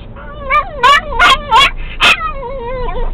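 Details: Excited domestic dog singing in a moving car, a sound compared to turkey gobbling: a wobbling whine interrupted by five quick, loud yelping bursts, then a falling, wavering tone over low road rumble.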